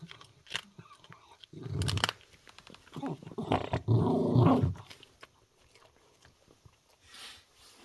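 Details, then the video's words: Puppy growling over a duck neck bone while a kitten bothers it: deep, throaty growls building to a sustained rumble, mixed with crunching and biting sounds of chewing. "오리목뼈 먹는데 아기 고양이 때문에 심기 불편한 강아지"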